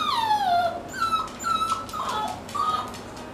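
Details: Male Toy Poodle on a trial day at dog daycare whines: one long, falling, bright whine with rich overtones, then a run of shorter high whimpers held at a steady pitch, indoors.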